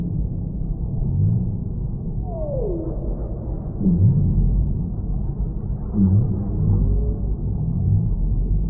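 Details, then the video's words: Whale song offered as a calming sound for tinnitus relief and sleep: low moans slide downward in pitch in short sweeps every couple of seconds, set over a steady deep underwater rumble. "Whale Sounds"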